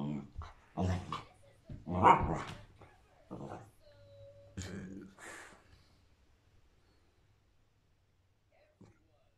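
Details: A shepherd-Rottweiler mix, playing with an orange on May 17, 2021, gives a few sharp, gruff barks and growly vocal bursts, with people talking nearby.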